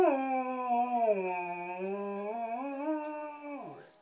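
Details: Standard poodle singing along to piano jazz at brunch, one long sustained howl that dips slightly in pitch, climbs back and wavers, then falls away at the end; no piano clearly audible.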